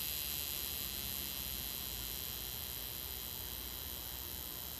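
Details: Texas cicada in North Texas (Dallas–Fort Worth area) gives a loud, steady, high-pitched buzz that drones on without a break.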